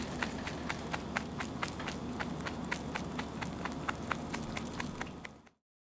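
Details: Pet rabbit eating its meal steadily, crunchy chewing clicks repeated roughly twice a second, sharp crisp bites over a soft low background hum, ending abruptly in silence.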